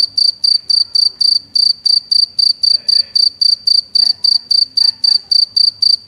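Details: Cricket chirping with its wings: bright, high, steady-pitched chirps of three or four quick pulses each, repeated about every third of a second in a regular train, with faint low background rumble.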